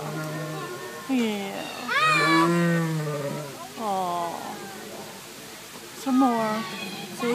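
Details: A captive jaguar at the San Diego Zoo gives drawn-out, harmonic mewing calls, one rising and falling near the two-second mark, with short pauses between calls, a steady low hum, and faint voices nearby.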